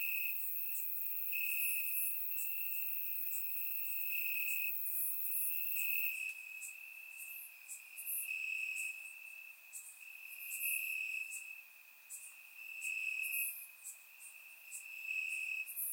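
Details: Warm summer night in Bulgaria with crickets chirping in the grass, an unbroken high trill swelling in bright pulses, loudness rising and falling through the latter half, with scattered higher insect calls; surround microphone.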